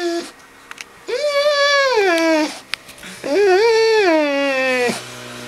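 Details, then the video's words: Dog named Harley talking to Puddles the cat indoors, trying to get her to play: two long, wavering howl-whines, each held over a second, rising then sagging in pitch, separated by a brief gap. "Harley Tries To Talk Puddles Into Playing"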